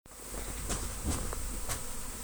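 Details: Honey bee swarm arriving at a house in Destin on Good Friday 2025, during swarm trapping; a steady, even droning hum with faint tonal bands and a deep low rumble, plus a few brief soft clicks.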